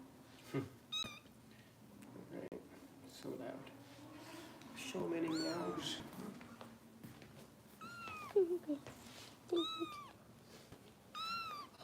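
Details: Foster kittens under Kitten Rescue care in Los Angeles, bottle feeding, with a few clear high falling meows late on, mixed with human talk and a low background hum.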